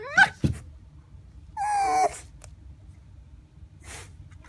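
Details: Red fox kept as a pet, pouting: a brief rising squeak and a thump, then a single half-second strained whine that dips slightly, followed by near silence and a soft rustle.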